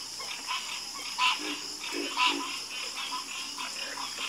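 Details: Night-time frog chorus: short nasal croaks repeating roughly once a second, two louder calls standing out over a steady hiss of background callers.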